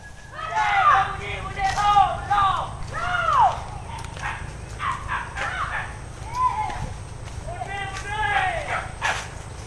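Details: Pack of hunting dogs chasing wild boar through scrub, baying in a rapid series of arched, yelping barks from several dogs at different distances, overlapping and irregular, with low background rumble.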